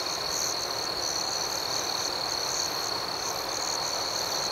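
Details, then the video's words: Nighttime crickets form a continuous shrill, even trill with faint pulsing overtones higher up, unbroken for the whole stretch. No other clear sounds. "Soothing Cricket Sounds"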